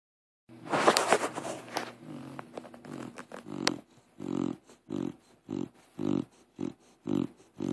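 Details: Crush, a deaf pit bull, snores while asleep, likened to a pig; after an opening stretch of broadband rustling and clicks, rhythmic nasal snorts settle in at roughly one every half second, each a short low rattling burst.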